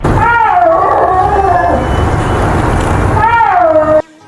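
A snow leopard gives drawn-out, moaning yowls that rise and fall, with a rough breathy stretch between them.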